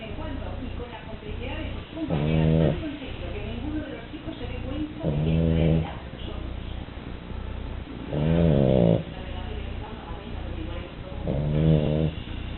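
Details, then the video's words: French Bulldog sleeping and snoring; rough, rattling low snores recur about every three seconds, each a short harmonic-rich burst over a steady low background hum. "Bulldog frances Duna roncando"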